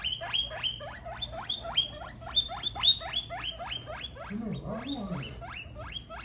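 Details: Several guinea pigs calling loudly: a rapid series of high, shrill squeals, each sweeping upward then dropping, repeated about three per second, with a lower wavering sound near the end and a steady low hum beneath.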